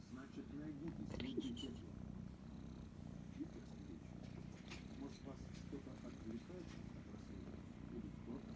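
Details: Female kitten Krysa loudly purring while enjoying affection and scratches behind the ear: a steady, low, rumbling purr running continuously throughout, with faint soft murmuring of a woman's voice in the background.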